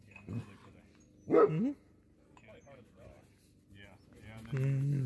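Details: Friendly sled dogs in Alaska, trained to be sociable, crowding around and licking a visitor in greeting. One loud, short bark with a rising whine mid-clip, fainter yelps before and after, and a person's voice near the end.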